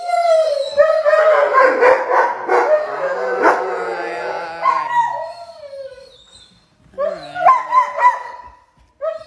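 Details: German Shepherd puppies howling: loud, wavering, overlapping howls in a dense chorus for several seconds that fade to a drawn-out whine, followed by a burst of short sharp yips and whines.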